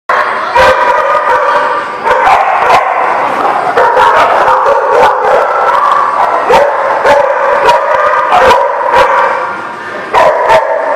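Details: Several dogs bark on 12/15/17, a dense, continuous chorus of overlapping sharp barks and yelps with sustained harsh tones between them. There are no pauses across the whole stretch.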